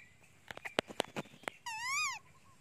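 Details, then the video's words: Janny the monkey screams with hunger for her mother: a loud, arched, harmonic cry rising then falling over half a second, preceded by a burst of sharp taps and clicks and followed by laughing voices. "Beautiful Monkey Janny Screaming cry Loudy / Janny Very Hungry on Mom"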